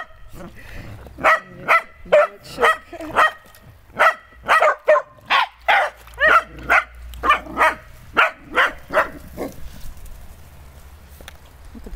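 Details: Barking from a dog at play with water: a steady series of clipped, evenly spaced barks, roughly two per second, running for about eight seconds before fading into quieter background noise, with faint talking underneath.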